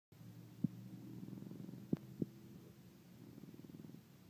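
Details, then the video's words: A dog named Brixton snoring, said to be getting louder by the week; low rumbling breaths with a buzzy, fluttering texture and a few sharp clicks. "Brixton snoring"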